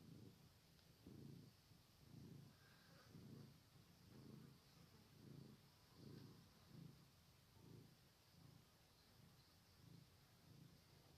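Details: Steady purring from kittens, low rumbling pulses repeating roughly once a second for the whole stretch, each breath-like swell rising and fading evenly against light hiss.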